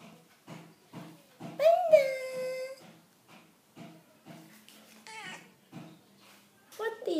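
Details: A Siamese cat named Panda gives a loud, drawn-out meow that slides downward while its owner talks to it, asking if it likes food.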